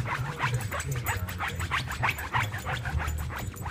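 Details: An exhausted Boston Terrier lying comfortably on a couch breathes in quick, raspy bursts, about three per second, over a low steady hum.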